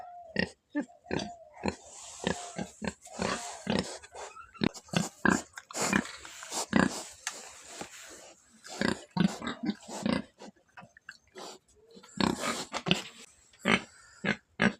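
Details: Rapid, irregular grunting and snorting from a black pig, dozens of short bursts packed over fifteen seconds, a few carrying brief squeaky tones.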